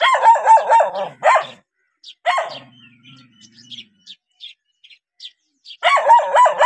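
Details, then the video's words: Dog barking at a stranger in rapid, choppy bursts, with a low rumble during a quieter stretch and scattered bird chirps before a final quick run of barks. "How Dogs React When Seeing Stranger 11 - Running, Barking?"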